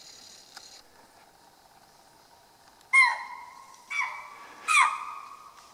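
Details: A chital deer in grasslands near Kaladhungi, Uttarakhand, India, at dusk gives three sharp, shrill, high alarm calls in quick succession, each dropping slightly in pitch, reacting to unknown danger in tiger and leopard country.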